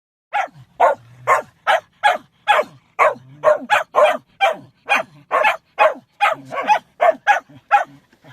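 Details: Dog trying to howl but needing to sneeze: a quick series of short, sharp, barky bursts, roughly two per second, some uneven, with brief low hums between a few of them; nothing else audible.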